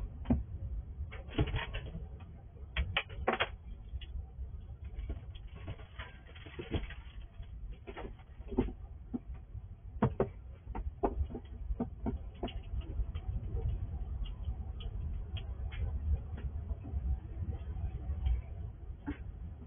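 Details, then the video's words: Night vision recording of a wild squirrel eating in the dark at a house: dense, scattered gnawing clicks and crunches, louder bursts early on, with constant low hum beneath. "Squirrel eating in the dark"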